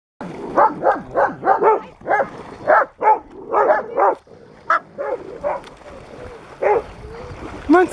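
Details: Stella, a 2½-year-old spayed female German Shepherd, mingling and exploring the grounds of a rescue ranch in Pleasant Grove, California, on August 16, 2018; a rapid run of sharp, arching barks and yips, about two a second, trailing off into softer yelps.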